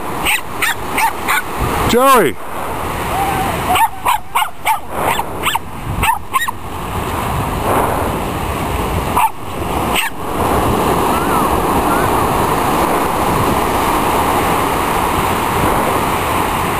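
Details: Joey, a Silky Terrier running at Dog Beach in Long Beach, California, lets out quick clusters of sharp, high barks over the first six seconds, with a drawn-out rising-and-falling whine near two seconds, then steady surf and wind roar.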